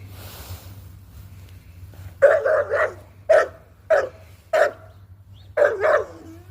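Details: Presa Canario dogs, also called Canary mastiffs, give deep, loud barks in short bursts, some single and some doubled, about six bursts over four seconds, with a steady low hum behind them.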